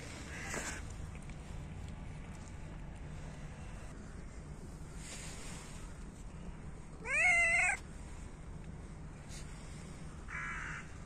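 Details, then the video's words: Hungry cats in winter, competing for food as they are fed: one loud, strained meow partway through an otherwise quiet stretch of low hum and faint rustles, followed by a person's brief speech. "Cats meow loudly and compete for food"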